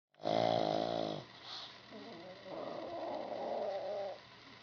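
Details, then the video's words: Sleeping pug snoring loudly indoors: one loud, rasping, tonal snore lasting about a second, then a quieter, longer rattling breath that fades out. "Pug snoring and sleeping"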